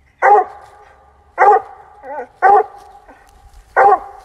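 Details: Bluetick Coonhound baying while treeing a fox squirrel on a rainy October afternoon: four loud, abrupt, hoarse barks at irregular intervals with ringing tails, plus a brief wavering whine between the second and third.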